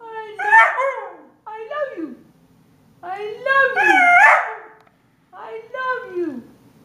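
A Siberian Husky gives drawn-out, talking howls that rise and then slide down, like a sung 'I love you'.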